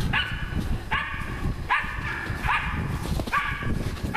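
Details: Six loud, evenly spaced barks, about one every 0.8 seconds, from Nora, a dog working on wild boar, over steady low rumble.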